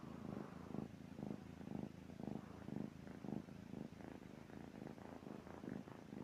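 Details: A sleeping pet cat snores quietly, with soft, low rasping pulses repeating about twice a second over a faint steady hiss.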